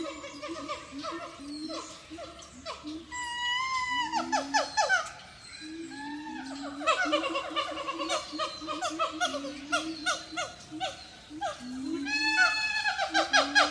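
Siamangs sing loud, rising whoops mixed with sharp barks in a dense, excited chorus.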